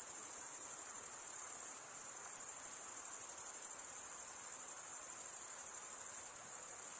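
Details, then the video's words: Male crickets stridulate, giving an unbroken, high, shimmering trill with rapid pulses and a near-constant level, briefly softening a couple of times. No other sounds are heard. "Most relaxing cricket sound for 8 hours"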